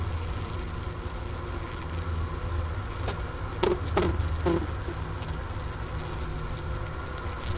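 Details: Honey bee cluster humming in a winter hive, Wooster campus of the Ohio State University, 4 PM, January 16, 2024, 15 degrees F outdoors, recorder at the inner-cover hole; a constant deep drone broken by a few sharp knocks midway.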